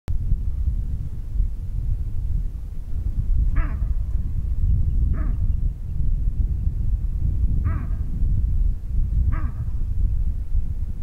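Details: Baboon sitting on grass, barking and calling: four short harsh barks spaced one and a half to two seconds apart, over a steady loud low rumble of wind or handling noise.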